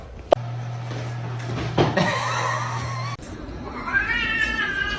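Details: Domestic cat from a funny-cats compilation, giving a drawn-out, wavering meow in the later half after a sharp knock and a short rougher cry; a steady low electrical hum runs under the first part.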